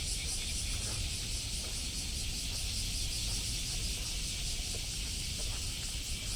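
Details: Cicadas calling in Osaka, Japan, on July 17th, 2024, recorded while walking: a dense, continuous high buzzing that never breaks, laid over a low rumble of traffic.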